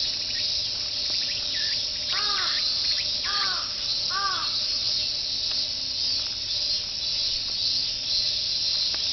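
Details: Fuchinobe Park cicadas singing in chorus, "meen meen", heard while walking the jogging course; a sustained shrill buzz underlies the whole span while three or four loud, arched, caw-like bird calls ring out near the start.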